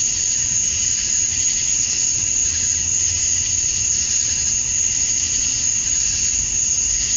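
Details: At summer dusk in Georgia, USA, male cicadas chirp to draw in females, forming a continuous piercing whine with a layered buzzy undertone that gently swells and fades in places.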